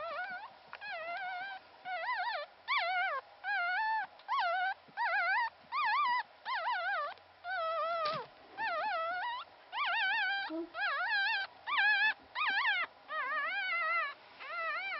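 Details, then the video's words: Newborn Pomeranian puppy, the lone survivor of its litter, within its first 14 days, crying persistently: a rapid, fairly steady run of short wavering whimpers, roughly one every second, each with a trembling up-and-down pitch. "Newborn Pomeranian Puppy"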